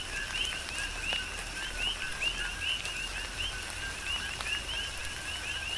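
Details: Chorus of coqui frogs on Hawaii's Big Island during tropical rain, many quick upward-sweeping chirps repeating in an unbroken rhythmic stream above a faint lower note, raindrops tapping in the background.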